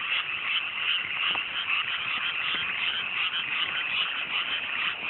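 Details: Night chorus of frogs in cool mountain rice fields newly flooded after planting, rural Japan, fine weather; many callers blend into a continuous rattling croak with a few sharper clicks standing out.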